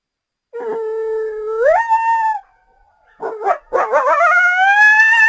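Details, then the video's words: Coyote howl: a long flat tone that sweeps upward and fades, a brief silence, then quick yipping notes leading into a rising, sustained high howl. "Coyotes Sound"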